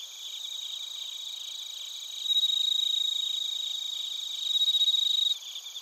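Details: Bell crickets and other crickets chirping in Narita, Chiba Prefecture, Japan, captured on a TASCAM Portacapture X8: a dense high pulsing chorus, with a louder pure ringing trill rising out of it twice, each burst lasting one to three seconds.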